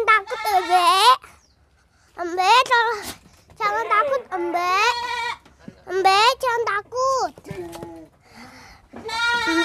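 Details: Young goat that is hard to catch bleating while a child plays with it, loud quavering nasal bleats in several bursts of about a second, interleaved with a child's voice and short pauses.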